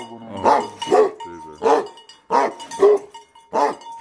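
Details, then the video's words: Angry, aggressive Tibetan Mastiff dogs giving loud, rough barks, single and paired, roughly every half second to a second, over a faint constant ringing tone. "Aggressive Tibetan Mastiff Dogs Barking Sound"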